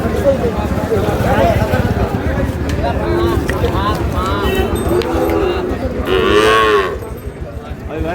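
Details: Sahiwal bull calves at a cattle market in Noakhali, Bangladesh, dated 27/7/26: drawn-out, wavering lowing moos build through the middle and swell near the end, over a steady din of crowd chatter and market bustle.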